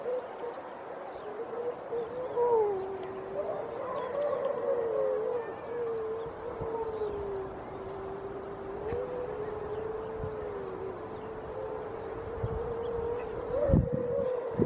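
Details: Grey seal at Donna Nook, Lincolnshire, 5 November 2018, early in the pupping and mating season, giving a long, sustained howling moan that wavers gently up and down in pitch for over ten seconds, with faint other calls behind.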